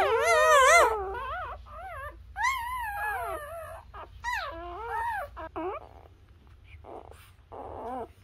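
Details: Newborn Labrador puppies nursing on their mother produce loud, high wavering whines and yelps, each swooping up and down in pitch, with short gaps and softer squeaks between.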